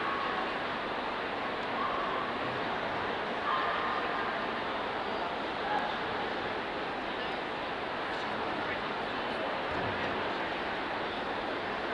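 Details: Steady broadband crowd hubbub with faint murmured speech and no animal sounds, recorded at a dog show.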